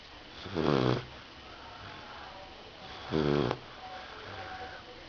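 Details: Sleeping Rottweiler puppy snoring: two rough, buzzy snores about two and a half seconds apart, each under a second long, with faint breathing hiss in the quiet gaps.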